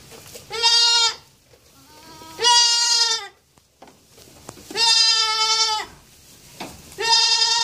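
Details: ['Four loud, nasal bleats from a young goat, each about half a second to a second long, repeated at uneven intervals of roughly two seconds, with quiet rustling between calls.']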